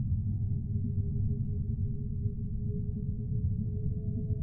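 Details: Humpback whale song: a low, drawn-out, gently falling moan with overtones, continuing through the whole stretch above a dense, steady deep rumble of water noise.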